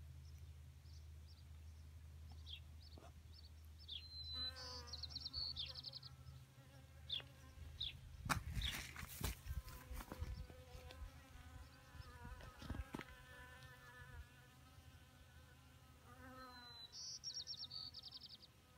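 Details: Honeybees drinking at a small pond in May, perched on rocks and dirt: a low, wavering hum of several wings runs throughout. Bright chirpy bird trills sound near five and seventeen seconds, and loud handling bumps and rustles fill the middle.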